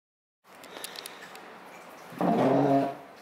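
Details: Basenji Ginger giving a short vocal baroo indoors: a brief, rough, nasal tone rising out of quiet room noise near the end, lasting under a second.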